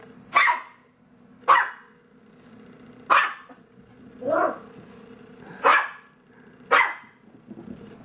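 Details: Monty, a pet dog, barks at his own reflection in an entertainment center, taking it for a phantom dog trapped inside. Six sharp, loud barks come about every second and a half over a steady low indoor hum.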